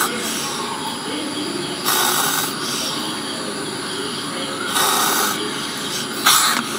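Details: Baby spectacled cobra (Naja naja), about a foot long, confronting danger in an aquarium at Gampaha, Sri Lanka, before release to the wild. Forceful breathy hisses surge near 2, 5 and 6 seconds over a constant airy background hiss.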